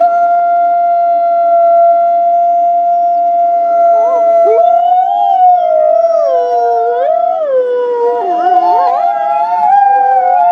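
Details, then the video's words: Wolves howling together to communicate and bond with the pack: long, steady sustained tones held at one pitch, then joined by several bending, sliding voices that overlap and dip into a chorus. "Sometimes wolves just love the sound of their own voice! Why talk when you can sing?"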